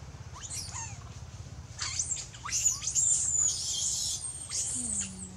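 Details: Baby monkey screaming loudly, calling its mother for help while in danger: shrill, high-pitched squealing cries with sharp rising and falling sweeps, bursts clustered then a longer sustained wailing scream, over low rumbling background noise.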